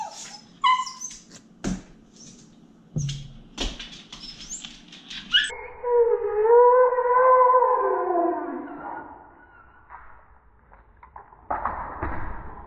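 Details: Sparky, a rescue Basenji, gives a wavering, yodel-like howl lasting about four seconds, its pitch sliding up and down through several harmonics, after a run of sharp knocks and thumps, with household noise around it.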